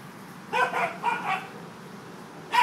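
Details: Corgis Bernie, Basil and Byron playing outdoors on an October day; short, bright barks come in two quick doubled bursts, then a single sharp bark at the end, over a quiet, low background hum.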